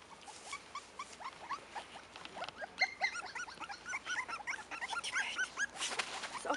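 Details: Five-week-old Cairn Terrier puppies from the Stromerhof B litter, born 28 June 2015, give many short high whimpers and squeaks, several overlapping in quick irregular bursts over a steady hiss.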